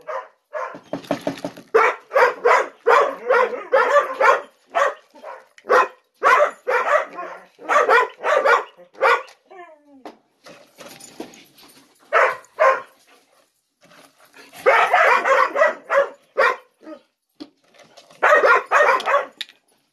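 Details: Morning breakfast wait for ten-month-old Gollie puppies, adults looking on; long bursts of rapid, overlapping yips and barks, a thin rising whine in a quieter stretch midway, then more clustered yapping.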